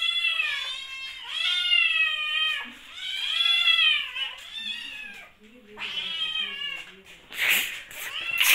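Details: Hungry kittens indoors during lockdown, several meowing together in long, loud, wavering cries that rise then fall, overlapping in bursts with short gaps; a man's voice talks to them in Hindi near the end.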